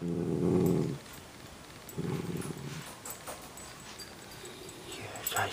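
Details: Pet dog at home making low, rumbling growls in two separate one-second bursts, with a person talking softly around them.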